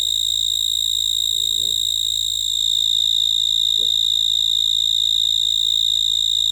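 A cricket gives a steady, high, ringing chirp that pulses rapidly and evenly throughout.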